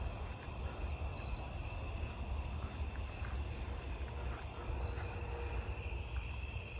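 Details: On a warm, humid night, many jumping bush crickets in a tree give short, high, clear chirps, about twice a second, over a steady chorus including snowy tree crickets.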